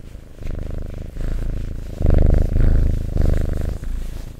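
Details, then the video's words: Close, loud cat purr for ASMR that builds in strength, with heavy rumbling bursts around the middle alternating with quieter breaths. "Purring Cat ASMR"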